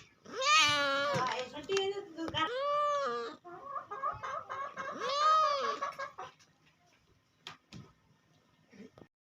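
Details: Cat making three separate rising-and-falling meows, each about a second long and spaced roughly two seconds apart, with softer chattering sounds between them and a few clicks near the end.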